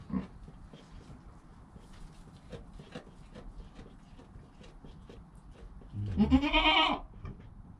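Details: Newborn goat kid Joel, within an hour of birth, beside his calm mother Penny, recorded on a GoPro: one loud, wavering bleat near the end, about a second long, rising then falling, after soft clicks and rustling.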